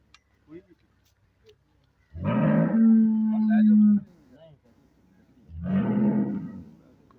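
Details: Sahiwal-Jersey cross cow giving a steady, low droning moo lasting about two seconds, then after a pause a second, shorter and rougher moo; faint clicks and a light hum in the quiet gaps.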